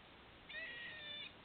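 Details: Squirrel heard from a patio, making what sounds like hiccups: a single tonal, slightly nasal note with bright stacked overtones lasting under a second over faint background hiss.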